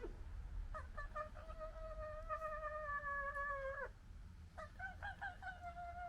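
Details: Fox in a local family squabble, holding a long steady whine with stacked harmonics for about three seconds after a few stuttered starts, then a second broken whine, over low-frequency background hum.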